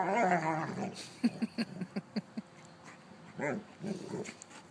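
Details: Old female mastiff with a six-month-old, heard with whines and then a run of short, evenly spaced low grunts or huffs, followed by a couple of soft whimpers, indoors.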